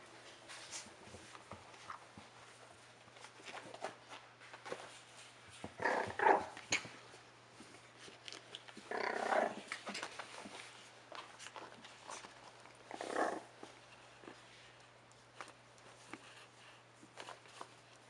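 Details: Rat terrier puppies, four and a half weeks old, indoors. Three louder rough growling, whimpering bursts come near six, nine and thirteen seconds. Scratchy shuffling, clicks and a steady low hum fill the small room between them.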